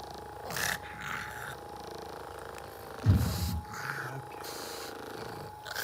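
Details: Pet pug giving a short, deep, rough snort-like burst near the middle, with fainter breathy puffs before and after, over a steady high electrical tone and low room hum.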